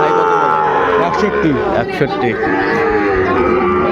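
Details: Sahiwal bull calves for sale at the opening of Ambari cattle market, Dinajpur, Bangladesh, on 23 February: overlapping drawn-out moos from several animals over constant crowd chatter and bargaining voices.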